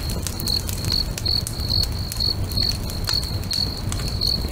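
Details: Crickets singing beside a crackling bonfire next to a lake at sunset: a steady series of short, high, pure chirps repeating roughly twice a second, over low fire rumble and sharp crackling pops.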